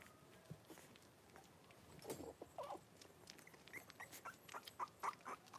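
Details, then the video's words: Blenheim Cavalier King Charles Spaniel puppies, five born at New Year, in an indoor pen with their mother Paris; soft whimpers after two seconds, then a quick series of higher squeaky whines toward the end. "Cavalier Puppies Live: Paris and her Puppies"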